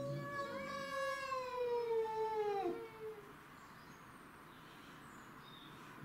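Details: Domestic shorthair cats fighting over territory, two house cats and a grey-and-white neighbourhood stray: one long wavering yowl gliding slowly downward for about three seconds with rich harmonics, then quiet background.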